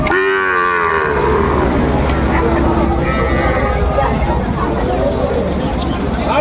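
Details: Sahiwal bull calf at Raniganj cattle market in Dinajpur on 6 June 2024: a short, deep, harmonic moo in the first second, then steady crowd chatter and market din.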